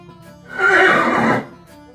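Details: Horse giving a single loud neigh, about three-quarters of a second, a rough, broad burst that swells and fades, heard over steady background music.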